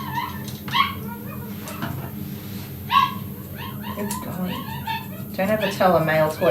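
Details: Male toy poodle kept indoors, away from a female dog in her fertile window, whining and yelping in frustration: high, wavering nasal whines and short yips in bursts, with a woman talking and music playing nearby.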